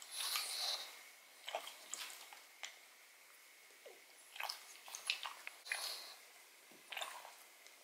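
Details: Odin the pug chewing a marrow bone indoors, eating the marrow: a run of sharp, crackly bites and gnawing clicks in short bursts, strongest near the start and again around five to six seconds, quiet gaps between.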